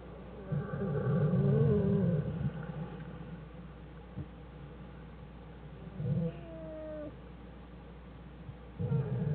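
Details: American black bear Jewel with her cubs Fern and Herbie in their winter den on January 1, 2013, studied by the Wildlife Research Institute: low buzzing bursts near the start, at six seconds and at the end, and a brief wavering tonal whine.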